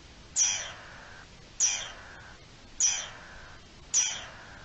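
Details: Alarm of a garden dormouse, dated 03-04-21: four rasping, downward-sweeping calls about every second and a quarter, each starting with a bright high squeak and trailing into a lower hiss.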